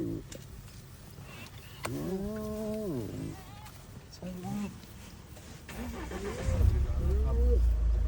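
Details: Hyenas on a Kruger safari give drawn-out, hollow howls that swell upward, repeated over a low vehicle engine rumble.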